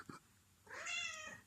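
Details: Zelda, a pet cat, hungry and asking for food indoors: a single drawn-out meow rising then falling, preceded by a brief faint sound, in a quiet small room.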